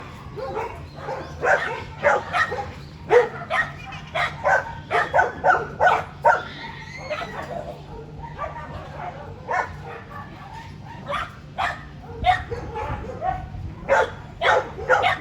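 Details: Several dogs at a dog zoo in Japan, filmed in May 2022, barking and moving about actively; short sharp barks repeat in quick bursts, with a quieter spell midway and background chatter.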